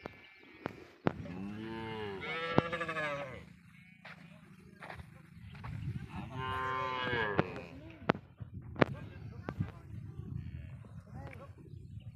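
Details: Cows on a Padma river char, reportedly brought across the Indian border by smugglers; two long, wavering moos several seconds apart, with a low rumble and scattered clicks and knocks between them.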